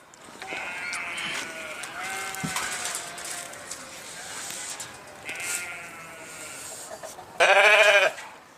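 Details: Sheep calling: faint, distant bleats over soft background noise, followed near the end by one sudden, loud, harsh bleat close by.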